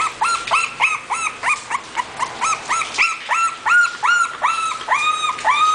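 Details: High-pitched whining yelps from an English Bulldog puppy at a breeder, arched cries repeated about three times a second in a steady, insistent run with overlapping voices.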